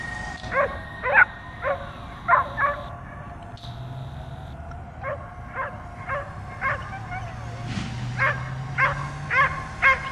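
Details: Dog jumping and barking nonstop at a drone hovering above; short, sharp barks repeated roughly every half second with brief gaps, drone hum throughout.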